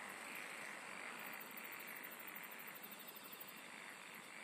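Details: Insects singing in a dense, continuous chorus: a fast, sharp pulse train high in pitch running through the second half, over a steady shimmering hiss and soft pulsing mid-pitched trills.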